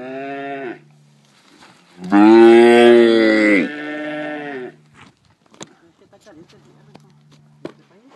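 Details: Branding of calves at El Oro, Durango: a short calf bellow, then a loud, strained bellow lasting over a second, followed by a softer drawn-out low call and scattered knocks and clatter.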